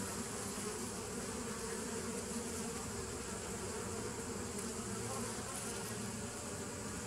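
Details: Bees recorded on 27 September 2018, a dense steady hum with low droning bands and a hiss spread over the higher range, unbroken and even in loudness throughout.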